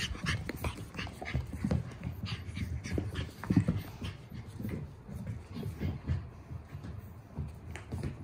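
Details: Panting from Boston Terrier sibling dogs filmed 30 June: steady rapid rasping breaths repeating several times a second, rising and falling in loudness, with a soft whimper midway and a background hum.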